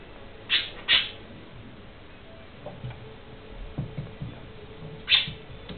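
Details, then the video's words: Young gerbils with eyes still closed, pushed out of the nest by their busy mother, exploring; three short high squeaks, two close together near the start and one after a long quiet pause, over faint rustling. "Jonge Gerbils uit het nest"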